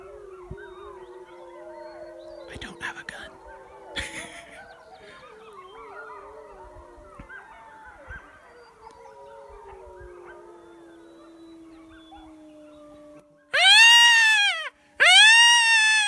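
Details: Wild wolf pack approaching a high mountain lake, lured in by a man's calls; long level and gently falling howls with wavering overtones fill most of the recording, ending with two loud, harsh, arching calls and a few knocks.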